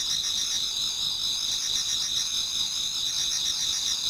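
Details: Many autumn insects singing in a Japanese garden towards dawn: dense, steady high-pitched trilling bands layered together, with faint pulsing rhythm, one continuous chorus of overlapping callers.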